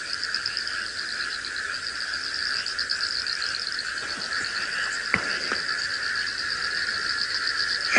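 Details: A dense frog chorus of steady, rapidly pulsed trilling calls, layered high and mid-pitched, from a flooded swamp after heavy overnight rain at Djuma Game Reserve, Sabi Sand, South Africa, at sunrise on 20 October 2017.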